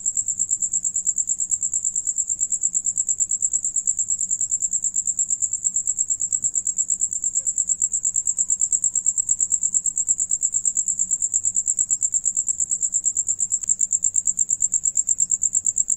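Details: High, shrill cricket chorus from a group of singing crickets while one eats; rapid regular pulses continue without pause, a brief faint click near the middle and a soft low hum beneath.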